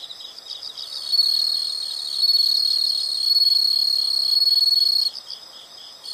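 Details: Insects in a natural setting: a loud, continuous high buzzing trill runs for about four seconds, with softer pulsed chirping around it before and after.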